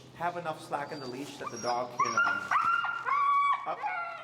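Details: A feral husky named Finnegan objects to a heel exercise while being taught pressure. A man's voice opens, then the dog breaks into sustained, slightly rising whine-howls with brief breaks between them.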